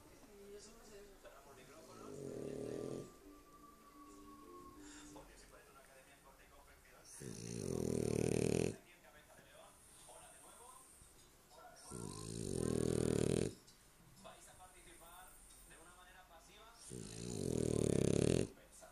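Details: Dog asleep and snoring; long, rasping, low breaths swell and stop roughly every five seconds, with quieter stretches between and a faint thin tone early on.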